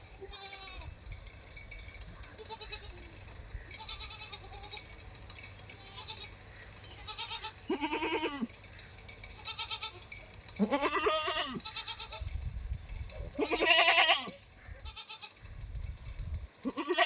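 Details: Mother goat and kid calling back and forth: several loud, arching, wavering bleats come every few seconds, with quieter bleats between them over a steady low hum.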